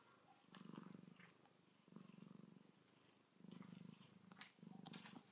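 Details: Two domestic cats sleeping and waking up, one purring in four strong, low rumbling bursts, each lasting about a second with short pauses for breath between them; faint rustling in the background.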